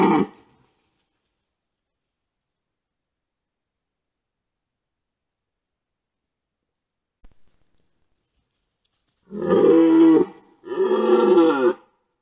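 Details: Red deer stags at a wallow during the rut, recorded by a trail camera. After a long silence come two loud, hoarse roars, each about a second long, back to back, with a rough harmonic tone.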